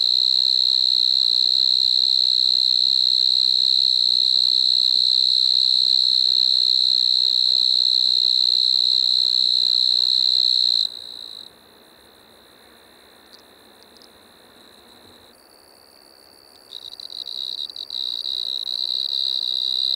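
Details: Striped marsh-cricket song from Maggia, Switzerland, 1 September 2023: a long, even, high-pitched trill for about eleven seconds, a quieter gap of several seconds, then the shrill trill returns and strengthens.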